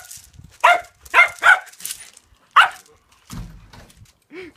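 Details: Todd the reTodd, a dog excited by reflections darting across a yard wall, recorded with an iPhone 5s: several loud yelping barks, then a low voice and a short whine-like sound at the end.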